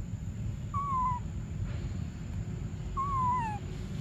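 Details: Hungry infant monkey Briar gives two drawn-out, descending whimpering cries about two seconds apart, each tonal with a faint upper harmonic, over a low steady background noise.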